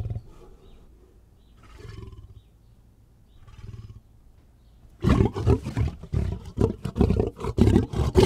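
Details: Lion: soft low rumbles for five seconds, then a sudden run of loud, rough, rapid snarling bursts packed closely together until the end.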